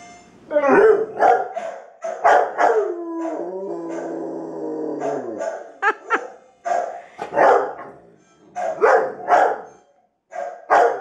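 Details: A female Rottweiler, reacting to her own image on a new TV, gives rough, uneven barks and whining yelps, with a sustained, tremulous, downward-sliding howl midway before the barking resumes.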